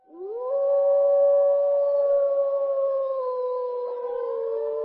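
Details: A wolf in a forest gives a long, smooth howl that swoops up, holds steady, then slowly sinks.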